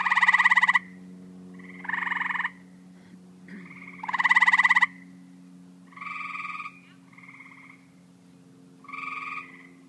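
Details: Loud rasping pulsed calls of tree frogs open the sequence, followed by softer, evenly spaced nasal notes from other frogs, all above a continuous low hum.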